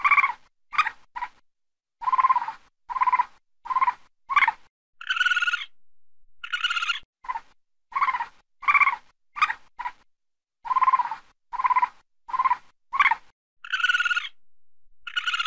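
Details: Raccoon barking at night: short, harsh, harmonic yelps repeated in uneven bursts, about two per second, broken by a few longer, higher, wavering whines. Brief silent gaps separate the groups, with no other sounds.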